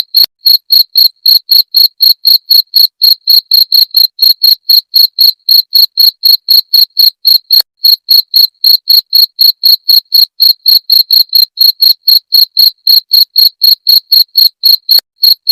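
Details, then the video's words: Cricket sound used to repel rats, loud, steady chirping: short high pulses about four per second with hardly any variation, one brief break near the middle, and no other sounds. "Suara Jangkrik pengusir tikus"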